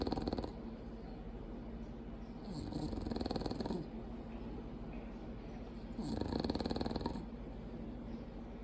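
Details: A female Bulldog, asleep, makes heavy rumbling snores. The low grinding texture swells into louder, wheezier breaths about every three seconds.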